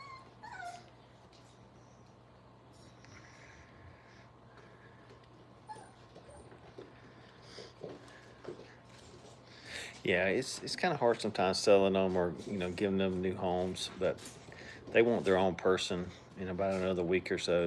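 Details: Five-week-old dog puppies at a training kennel, playing and having fun: a quiet first ten seconds, then a dense run of high, harmonic whimpers and yelps from several pups, overlapping and rapidly repeated.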